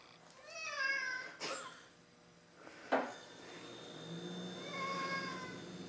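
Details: House cat upset with its owner over bugs killed with bug spray outside, meowing twice: a short falling meow at the start and a longer complaining one near the end, with thumps and bumps between them indoors.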